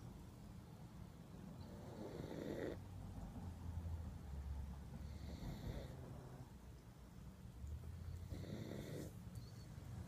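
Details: Lucy, a pug, dozing off and unable to stay awake, snoring in a quiet room: low, rumbling breaths with a breathy hiss, about every three seconds.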